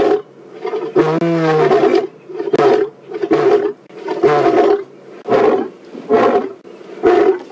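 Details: A roaring sequence from the male lion Ginger Matimba on an April 4 WildEarth safari drive: a long, full roar opens, followed by a run of shorter grunting roars repeated about once a second, each loud and harmonic.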